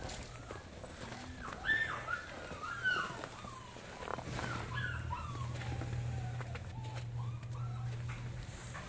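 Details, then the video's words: Puppies just weeks old, kept without their mothers inside old disused trailers at a puppy farm in freezing, snowy conditions, whimper in high, wavering whines that rise and fall, several overlapping, over a steady low hum and faint rustling. "and there's snow on the ground, yet inside I can hear whimpering. You can hear the dogs now. Yeah, there's pups in there, but for definite."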